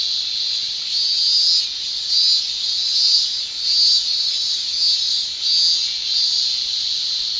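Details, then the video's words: Male cicadas of a Japanese summer keep up a high, sizzling drone; louder rasping swells rise and fade roughly every second, riding over the continuous tymbal buzz. "Japan Summer Cicada Shrilling Relaxing Sound"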